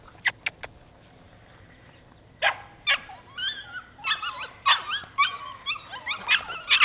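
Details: Two Bernese Mountain Dogs on an exploration tour: a few sharp clicks, then a run of high, squeaky yips and whines that grow more frequent and louder toward the end.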